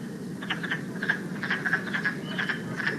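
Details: Wood frogs, a true frog found in West Virginia, calling in a chorus of short cracking, clucking notes like ducks talking in a pond, brief broadband clicks repeated irregularly several times a second over a low background hum.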